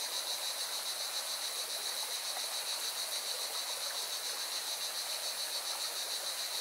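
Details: Cicadas sing by a mountain river in Valencia, Spain. Their continuous sizzling high drone pulses rapidly and evenly, layered over the loud, steady roar of the stream.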